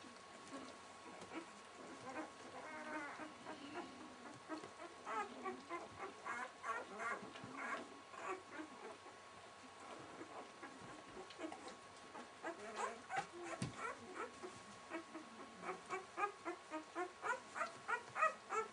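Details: Welsh Springer Spaniel litter, six days old, beside their mother Fly. Overlapping thin squeals and whimpers from several puppies keep up a constant, uneven chatter throughout. The calls grow louder and sharper toward the end.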